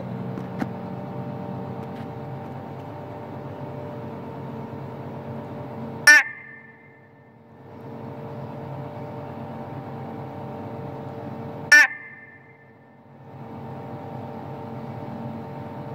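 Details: A long-nosed horned frog (Malayan leaf frog, Megophrys nasuta) gives two sharp, metallic single notes several seconds apart over a steady hum.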